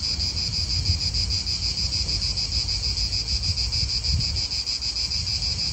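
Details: Many cicadas buzzing together in an Italian park. A piercing, throbbing whine wavers in quick pulses while wind buffets low underneath.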